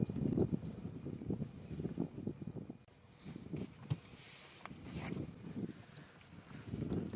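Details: Low rumbling engine and wind noise with faint murmured speech; no animal calls are heard.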